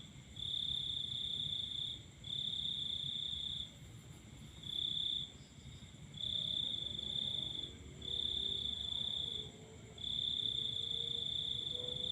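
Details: Night-time cricket song heard while watching the full moon, high shrill trilling in sustained bursts lasting one to two seconds with brief pauses between, a thin steady tone above and soft low hum beneath.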